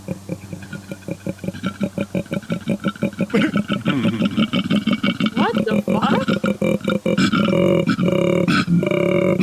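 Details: Male koala giving its mating call, played back during a live stream: a fast train of rasping, snore-like pulses that gives way to deeper groaning belches with sliding tones, while people talk and laugh over it.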